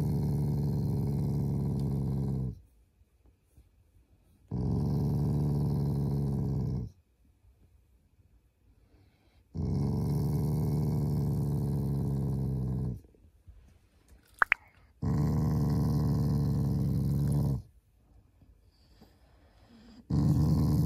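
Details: Playful growling from a pet Shiba Inu expressing affection, not anger; four sustained deep rumbles of two to three seconds each, alternating with quiet gaps, plus a faint click midway.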